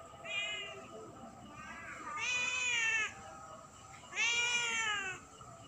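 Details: A cat meowing repeatedly at night: three loud, drawn-out, slightly rising then falling meows roughly two seconds apart, the later two stronger and longer, with a steady high electronic whine behind.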